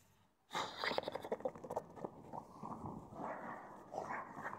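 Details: A freshly showered pug gives rapid, wet snorts and snuffling breaths in short irregular bursts.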